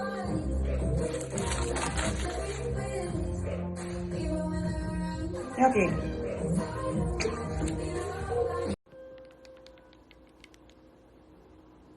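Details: Upbeat music with singing and talking plays, then cuts to a quiet room with faint clicks and no animal voice.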